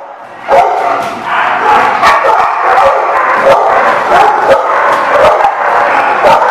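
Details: Dogs barking together on 28 June 2019: a dense, overlapping chorus of sharp barks and yips. Short bursts follow one another with almost no pause, and several animals call at once.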